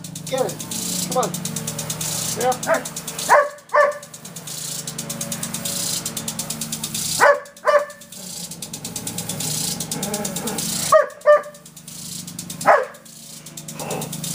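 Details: Irene, a pet Irish Setter, barks at an unwelcome water sprinkler in her backyard; short bursts of two or three barks break out several times while the sprinkler ticks and sprays steadily throughout.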